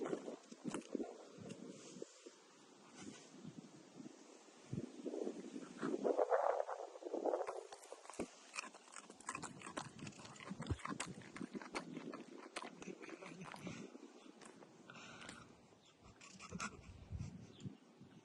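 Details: Dog eating a cucumber: rapid, irregular crunching and wet chewing clicks, about four per second, with a louder, snuffling, grunt-like burst of noise in the middle and quieter smacking toward the end.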